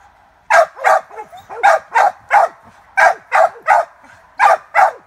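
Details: Cur pup barking steadily at a caged squirrel during training for the fall squirrel season, about a dozen sharp barks in quick irregular succession, with short gaps between bursts.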